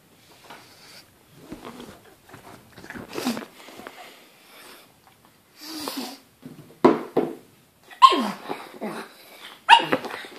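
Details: A pug barking at a banana indoors: short sharp barks and snorting breaths in irregular bursts, louder toward the end, in a small room.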